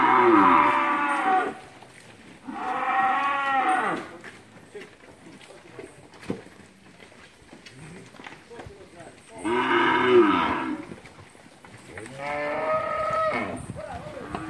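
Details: Heifers and cows of a herd at Capira in August 2016 lowing: four loud moos, each about one and a half seconds, in two pairs separated by a quiet stretch with faint knocks and rustling.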